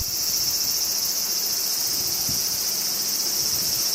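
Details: Crickets in summertime Japan keep up a steady, high, shimmering trill, with soft wind rumbling underneath.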